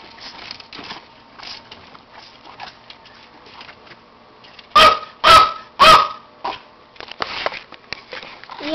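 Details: A male pet dog freaking out: three loud, sharp barks in quick succession midway, each about half a second apart, with quiet talking and soft rustling before and after.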